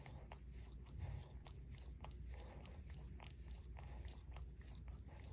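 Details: Barry the Shorkie, a dog adopted into his family two years ago, working at his paw with wet, slurping licks and soft clicks in quick succession, with a low hum underneath.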